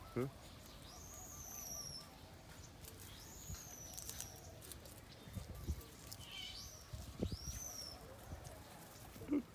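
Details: Baby monkey named Tony crying angrily at not being nursed; thin, high arched wails, rising then falling, come in separate bursts about every two to three seconds over a quiet background with faint low rumble and soft knocks.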